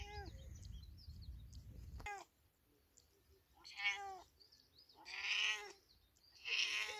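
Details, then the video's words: Village cat meowing: a falling meow at the start over low rumble, then after a quiet gap three loud, strained, rising-and-falling meows about a second apart. "Big Cat Meowing || Cats Meowing || A Beautifull Cat Meowing In Village Life"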